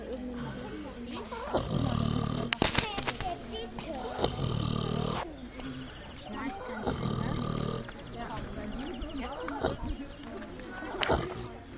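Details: Sleeping runaway pig in woodland gives harsh, low snores, each lasting about a second and coming every two to three seconds, mixed with sharp clicks and murmuring sounds.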